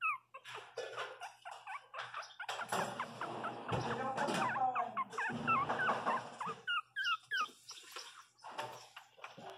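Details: Twenty-one-day-old female Miniature Pinscher puppy named Lara, learning to walk, crying: high, falling whimpers and squeaky yelps in quick bursts, busier and louder in the middle, with soft background music and a low hum.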